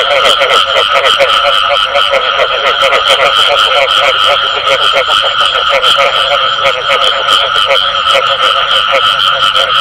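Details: Continuous frog chorus with the 'bù tọt' sound: rapid overlapping croaks and clicks forming an even wall of sound, plus a steady high-pitched hum.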